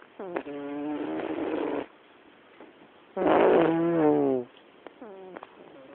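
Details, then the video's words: Black cat snoring in a living room, two strong rasping breaths over a second long each, with a faint fluttery wheeze between and after them. "Gato roncando"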